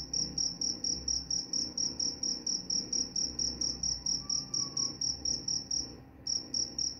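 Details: A cricket sings in steady high chirps, roughly four per second, pausing briefly near the end before resuming; offered as a lullaby sound that also drives off mice, with a soft low rumble beneath.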